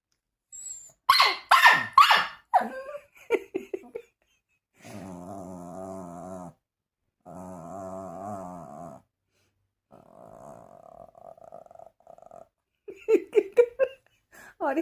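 A small dog gives sharp yappy barks, then long low rumbling growls, and ends with more barks.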